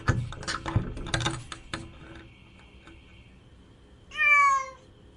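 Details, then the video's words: A single loud, wavering cat cry near the end follows a burst of clicking and tapping noises and a fading whine. "Cat Crying"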